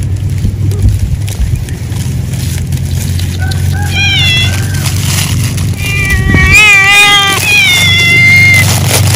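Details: Cat eating after work in animal husbandry, giving a run of repeated meows from the fourth second onward, several overlapping with wavering, rising-and-falling pitch, over a steady low engine-like rumble.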